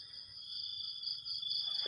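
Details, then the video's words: Crickets and other insects calling in the morning: a steady, unbroken high-pitched trill in two close bands, droning evenly with no pauses, with a faint low hum underneath. "ฟังเสียงหรีดหริ่งเรไร ยามเช้าๆ"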